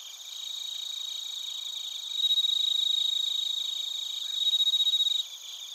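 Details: Crickets and bell crickets in Narita, Chiba, Japan, recorded on a TASCAM Portacapture X8: a bright layered chorus of high chirps, with a louder nearby singer giving a clear, ringing, rapidly pulsed trill in two bursts midway.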